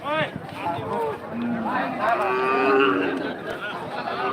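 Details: Cattle at the Rohanpur cattle market: several drawn-out, harmonic moos, some sliding up and down in pitch, overlapping with human chatter and crowd voices throughout.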